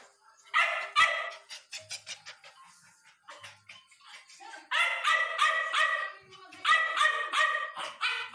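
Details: Wuba, a hungry puppy, gives high, harmonic yelping barks in quick repeated bursts, softer at first, then louder clusters after a short lull, with faint voices behind.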